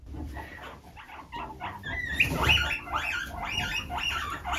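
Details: A hammock dispute among guinea pigs, a baby being pushed out: rapid high squeals and chirps, rising and falling, grow louder toward the middle, with soft background music.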